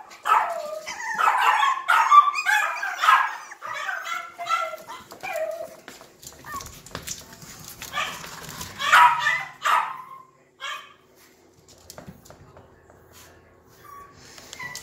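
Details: Young Yorkshire Terrier puppies, two babies of the silkie-coated Yorkie Vern, yip and squeal rapidly for several seconds, then fall quieter with scattered faint whines and soft rustling toward the end.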